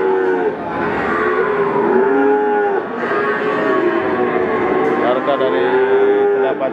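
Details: Peranakan Ongole bulls at Pasar Pon livestock market, Ambarawa, Central Java: several drawn-out, tonal moos lasting about a second each, one after another, over steady market crowd noise.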